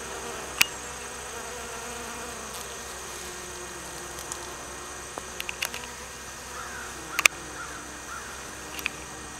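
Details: Bees, both honey bees and bumble bees, working anise hyssop blossoms; a soft droning hum drifts in and out beneath scattered ticking and clicking sounds.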